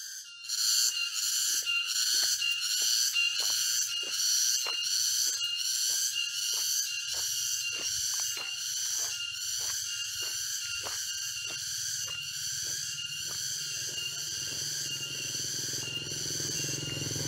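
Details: Cicadas fill the air with a dense, high, shrill drone that pulses steadily during a forest walk near Jatiarjo, Prigen, Pasuruan, East Java, on October 23, 2020.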